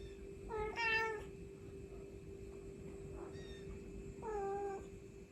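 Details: A mother cat summons her kittens with two drawn-out, bending meows several seconds apart and a faint brief call between them, over a steady background hum.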